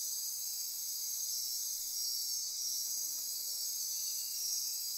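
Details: Dense nocturnal insect chorus from Costa Rican forest near Corcovado, Osa Peninsula, with high ratcheting and buzzing tones running steadily, swelling slightly midway.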